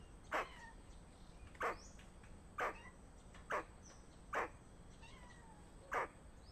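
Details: A squirrel gives a warning call of danger: six sharp, abrupt calls spaced about one second apart. Each is short and harsh with a brief tonal tail, set against a steady background hiss.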